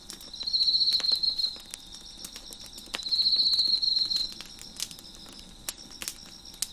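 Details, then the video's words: Crickets chirping near a crackling fire on a deck: two bright, high, pulsing trills, each around a second long, sit above a soft continuous chorus, with intermittent crisp pops and snaps from the fire. "Crickets Chirping in the Background"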